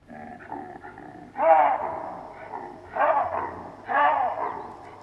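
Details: Baboons in the African bushveld calling with loud, harsh barks in three bursts roughly a second apart, separated by quieter, lower grunting calls.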